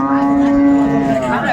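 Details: Indian Hariana bullock at a busy Bangladesh cattle market where large cattle are bought and sold, April 2024: one steady, level, low moo with rich harmonics filling the whole moment, faint voices behind.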